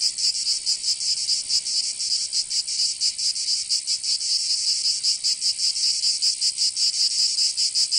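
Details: Cicadas singing in summer in Provence, southern France: a dense, loud buzzing band pulsing rapidly about two to three times per second, steady and unbroken, with no other sounds.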